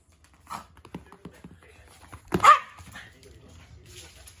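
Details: One short, bright bark from a poodle during a morning game of fetch, preceded by light clicks and taps, then fading to faint room noise.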